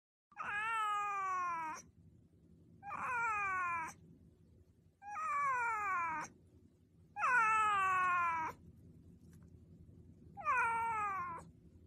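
A domestic cat gives a series of long, drawn-out meows, each falling in pitch toward the end.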